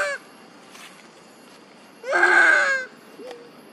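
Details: Monkey mother crying and calling for her missing baby: after a near-silent stretch comes one loud, harsh, wavering cry with a rising start, lasting under a second, then a short faint rising note near the end.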